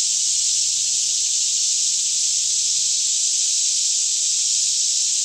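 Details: Daytime cicadas singing all around in a green forest near Franklin, Kentucky, about 10am in still air; one seamless high-pitched buzzing hiss, steady in loudness, over a quiet low hum, captured in stereo with a Canon 5D Mk2.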